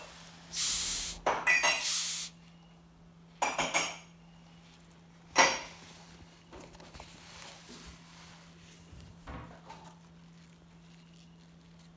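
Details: Clattering dishes and clinking cutlery in a small room over a steady low hum, with no animal calls.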